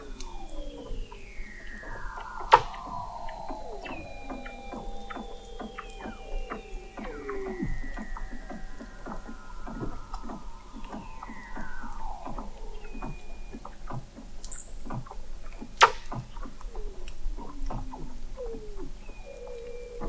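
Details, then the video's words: Weddell seals recorded in November 2017 by the McMurdo Oceanographic Observatory, 21 m below sea ice in McMurdo Sound, Antarctica: many overlapping descending whistles and glides, steady tones and short clicks and pulses. "Song of the Antarctic Weddell Seal"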